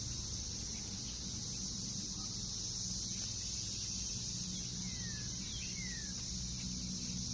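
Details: Brood X periodical cicadas massing in a backyard in Northern Kentucky in June 2021 after 17 years underground, last seen there in 2004; a dense, steady, high droning hiss runs unbroken throughout, with faint low rumble beneath.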